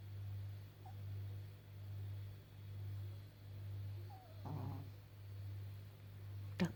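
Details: Sleeping old Pekingese, a flat-faced breed, snoring: low droning snores repeating about once a second, with a faint squeak, a short snort and a sharp click at the end.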